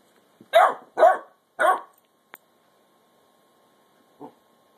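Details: Mildred, a basset hound puppy ten weeks old, gives three quick shrill barks asking her big sister Beatrix for her bone, followed by silence, a faint click and one soft low bark.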